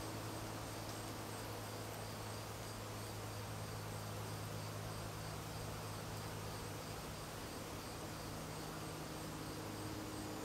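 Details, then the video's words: Swarming honey bees clustered in a tree near a house in Newcastle, Ontario: a dense, continuous low hum with a broad hiss of wingbeats throughout, steady in loudness. "bees swarm"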